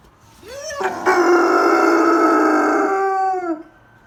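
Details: A German Shepherd gives a rising howl that settles into a long, steady, mournful note.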